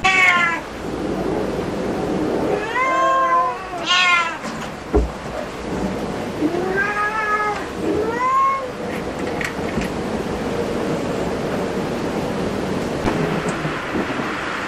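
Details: Cats at a cat cafe, among them Su-kun, a disabled black cat, and pale Hoa-chan with black brows: several short rising and falling meows in two pairs, with a thud and steady low background noise between and after.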